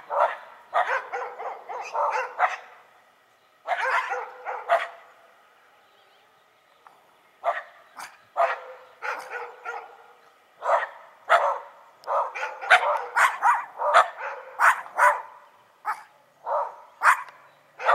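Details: Dogs, a Shiba Inu and a Schipperke, barking together in dense runs of sharp, rapid barks, with short pauses between bursts and a busier, overlapping stretch toward the end.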